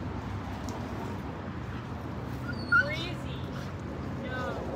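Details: Siberian Huskies playing and swimming at a lake in a Colorado dog park on a road trip: brief high whimpering yips with wavering, bending tones near the middle and again near the end, over a steady low outdoor rumble.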